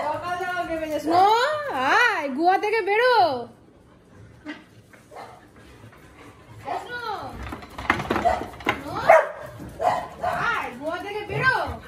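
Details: Siberian Husky howling indoors in the morning amid household commotion, long wavering rising and falling howls in the first few seconds, then more howling mixed with people talking in the room.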